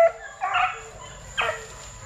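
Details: Kennel-raised Plott Tan puppies, a Plott hound and black and tan coonhound mix between 8 weeks and 5 months old, give two short hoarse yelps, the second sharper and rising, over a thin constant high tone.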